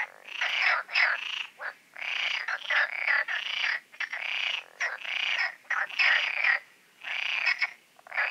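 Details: Frog concert at night in the Oasis ponds shortly before the full moon; bursts of harsh rattling croaks about half a second to a second long, separated by short gaps, many callers overlapping.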